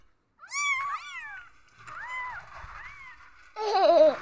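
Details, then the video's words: Insecure newborn kittens giving drawn-out, bending mews, one strong cry followed by softer arched calls and a final wavering, warbling cry. "قطط صغيرة حديثة الولادة تموء عند احساسها بعدم الطمأنينة"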